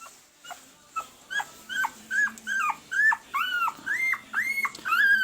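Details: One-week-old red/sable male Pembroke Welsh Corgi puppies, AKC registered, born April 2020, give a quick run of short high squeaks, each bending upward then down, about two per second, growing louder over the clip.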